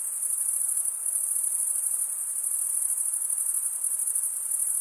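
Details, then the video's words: Stridulating crickets, chiefly males, fill the air with a steady, thin, very high trilling buzz that pulses rapidly and never pauses. No other animals or noises are heard. "Most relaxing cricket sound"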